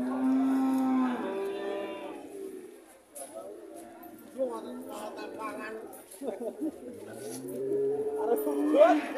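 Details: At an Indonesian animal market, a relaxed heifer opens with a loud, full moo lasting about a second and a half. Market chatter and scattered voices follow, then another lower moo near the end.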